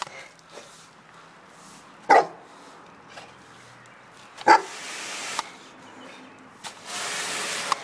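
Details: A Cane Corso up against a mini wash barks twice, single sharp barks a couple of seconds apart, with steady hissing spray noise running between and after them.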